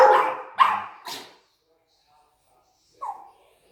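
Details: Excited pet dogs greeting their returning owner indoors give three quick barks, then a pause and one shorter yelp.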